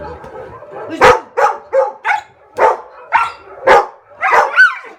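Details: Pet dogs at home barking excitedly in reaction to played barking sound effects: a run of about eight sharp barks roughly every half second, the last ones higher and yelping.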